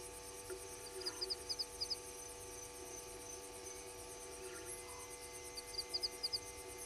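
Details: Frog calling at night at 21:02 below the waterhole camera at Gowrie dam, Djuma Game Reserve, Sabi Sand Wildtuin, South Africa: short high clicking notes in quick groups of three to four, repeated, over a steady insect hum and faint tonal drones.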